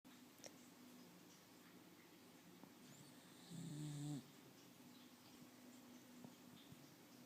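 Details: Teco Tobias, a pet dog, asleep indoors, gives one rough, buzzy snore lasting under a second around the midpoint, with a breathy hiss on top, over a steady low household hum and otherwise quiet breathing.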